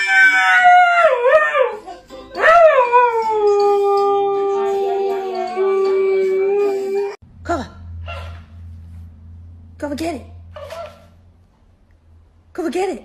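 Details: Pet dog gives a drawn-out howl that swoops up and down, then settles into a long steady tone, followed by several short yelping howls separated by pauses, with a low hum underneath.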